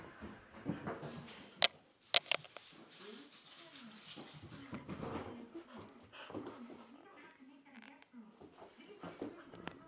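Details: A hyper Rottweiler at night whines in drawn-out, wavering tones, with scuffling throughout and a human voice mixed in.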